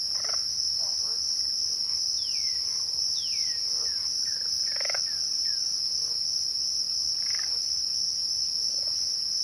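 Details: An unbroken, high-pitched trill from twilight crickets runs through the whole recording. A few soft downward-sliding whistles and faint mid-pitched calls sound around three seconds and again near seven seconds.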